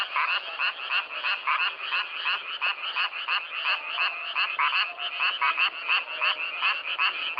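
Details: Chorus of self-recorded frogs giving bright, raspy croaks in irregular bursts, loud pulses standing out above a constant background of overlapping callers, with no wind, water or human sounds.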